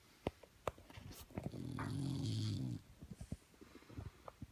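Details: English Bulldog puppy sleeping indoors, a loud rough snore rising and fading over about a second, with soft short snuffling breaths before and after.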